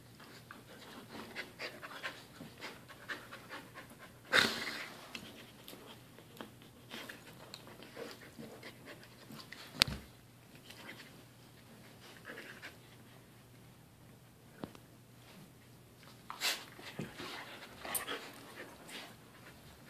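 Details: Dog panting in a room, with quick airy breaths coming in irregular runs. A few louder knocks and bumps are scattered through it.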